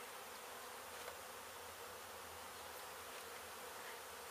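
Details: Disturbed honey bee colony inside an abandoned house under demolition in Mission, Texas, its hive hit by construction crews before the bees were rescued and moved; a continuous, even droning buzz with no other sounds.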